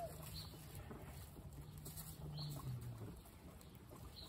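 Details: Guinea pig giving a low, steady purring rumble that holds for about three seconds, then fades into a faint background hum.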